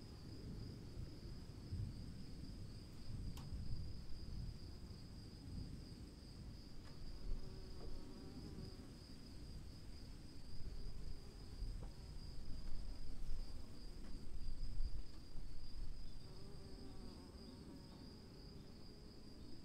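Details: Rain falls heavily around a cricket whose constant, bright, high trill persists beneath the downpour; the low, uneven roar of the rain swells and fades over the length of the recording.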